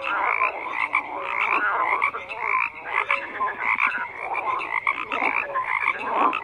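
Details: Frogs croaking in a thick nighttime-style chorus, overlapping grating croaks and high short notes, loudness swelling and easing throughout.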